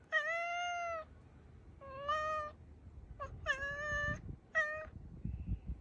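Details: Black house cat Ponzu directs a string of thin, clear calls at a crow outdoors. The first is a long steady note, followed by three shorter ones and a brief clipped call, with soft rustling noise underneath.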